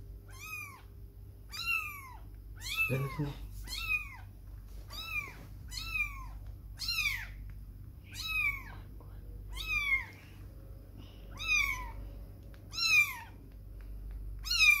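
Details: A kitten, away from its mother for the first time, gives high, thin meows that rise and fall, repeated about every second and a half.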